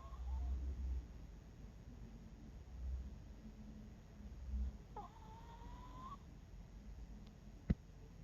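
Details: Bangul-i, an 11-year-old Miniature Pinscher, snoring while asleep indoors: low rumbling snore bursts near the start, at three seconds and near five seconds, then a thin, steady whistled tone lasting about a second, ending with a sharp click.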